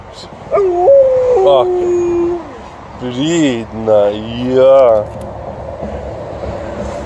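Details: Alaskan Malamute howling at length on a walk: a steady, tuneful tone that steps down in pitch, then wavering, quavering howls that rise and fall in several bursts, with faint outdoor background noise.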